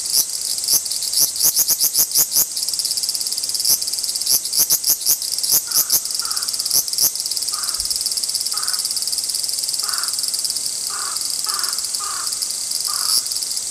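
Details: Large brown cicadas in Japan in an apparent territorial dispute: a rapid series of sharp clicking pulses over a steady high buzzing drone, then softer short buzzy bursts repeated about once a second.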